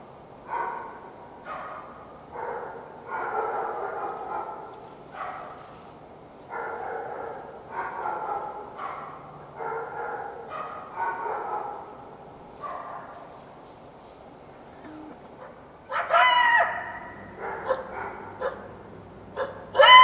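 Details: Wild coyote at dawn after a full moon night in the foothills of the Washington Cascades, giving a run of short, rough barking yelps about once a second, then sharper, higher yips near the end.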